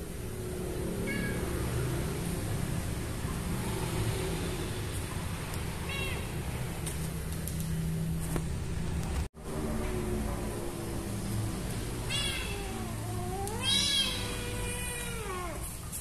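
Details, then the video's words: A frightened kitten, found hidden behind a door, cries with several high, wavering meows spread across the recording, ending in a long, drawn-out rising and falling wail, over a steady low background hum. "Found A Kitten Behind The Door Crying in Fear."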